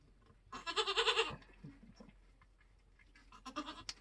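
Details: Nigerian Dwarf goat kidding on a homestead during kidding season, giving one loud, wavering, tremulous bleat lasting under a second, followed by soft rustling and a shorter, quieter bleat near the end.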